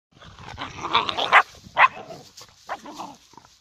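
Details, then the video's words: Puppies play-fighting, giving short rough growls and yips in quick bursts, two louder yelps standing out near the middle, with scuffling between calls. "PUPPY FIGHT"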